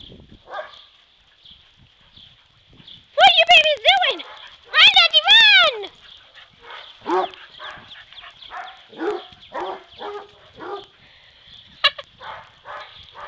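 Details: Playful barking from dogs Dodger, Shelby and Elwood, a yellow Lab mix, a black Lab and Australian Shepherd cross and a Basset Hound, romping together; two loud, harmonic barks stand out midway, followed by quieter yips and people talking.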